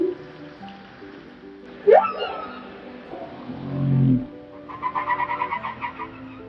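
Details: Humpback whale song from NOAA underwater ocean recordings: a sharp rising shriek, then a low droning groan, then a run of rapid pulsed chatters, with faint tonal background sound throughout.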